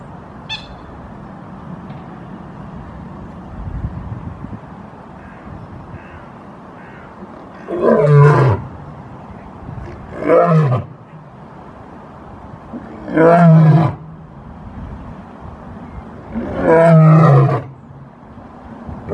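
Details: Lion roaring, a call the lion uses to communicate its location, show strength and intimidate rival prides: four deep, short groaning bursts spaced about two to four seconds apart over a steady background hiss.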